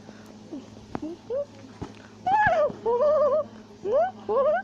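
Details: A tufted capuchin monkey in South America shouts and chatters as it climbs a tree. Short sweeping notes give way to louder wavering, warbled cries and rising, bending calls in quick succession.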